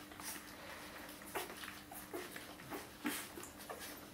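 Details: One-week-old Border Collie puppies from the litter of Lynn and Kyle, indoors in a small room: soft, brief squeaky whimpers, about four short squeals spaced across a few seconds, over faint rustling and shuffling.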